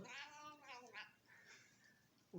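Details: A female cat, being fed by her owner, lets out a loud, strained, harmonic yowl with a wavering pitch that fades out, then a sudden knock at the end.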